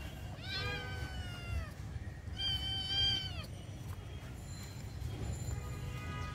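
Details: Domestic cat during playful fighting with kittens outdoors in a garden; two loud, rich, plaintive meows, each bending downward at the end, then quieter faint mews, with low background rumble.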